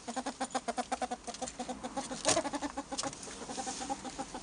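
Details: Pet albino ferrets making a rapid clucking chatter, short harmonic pulses repeated about eight times a second with a brief louder burst midway, steady throughout.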